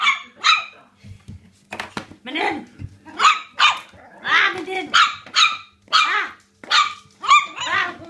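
Yorkshire Terrier puppies give rapid, high-pitched yips and squeaky barks in short bursts.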